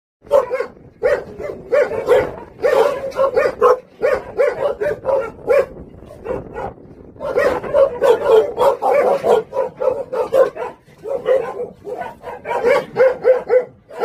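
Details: Jindo dogs, the Song Baekgu brothers, at a local kennel on Jindo, barking in dense runs of sharp, mid-pitched yelps with brief pauses, several voices overlapping for about fourteen seconds.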